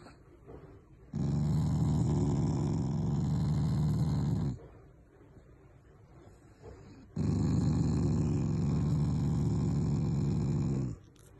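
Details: A household Shiba Inu named Taiga gives affectionate, non-angry growls: two long low throaty rumbles of about three and a half seconds each, separated by a quiet gap.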